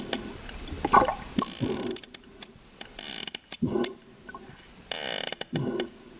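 Sperm whale clicks come in rapid, sharp bursts, a rattling series of knocks used to communicate.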